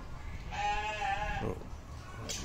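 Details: A young Garut fighting ram with a cow-hide-like coat pattern, shown to the camera: one drawn-out, wavering bleat lasting about one second, with a man talking around it.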